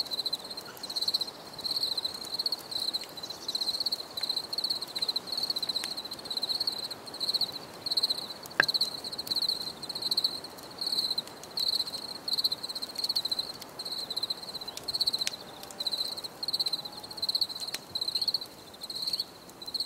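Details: Cricket chorus in a nature recording meant for relaxation: high, rapid pulsed chirps in short repeated bursts roughly every half second to second, continuous throughout, with a few faint clicks.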